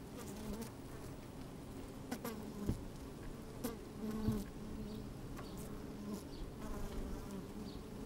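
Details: Honey bees busy at work in an opened hive on a sunny, slightly windy day, microphone inside the hive: a continuous low droning hum broken by brief sharp buzzes and soft clicks.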